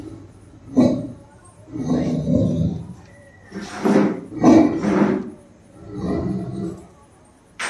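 A Great Dane gives deep, booming barks in a series of heavy, rough bursts.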